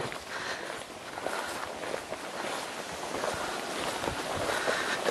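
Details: Footsteps and rustling on a woodland walk outdoors, with no animal voice heard.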